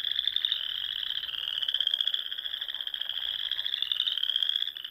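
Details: Many frogs calling together at dusk in springtime, Sandhills of Nebraska; an unbroken, piercing trill of overlapping voices, wavering slightly in loudness over a few seconds.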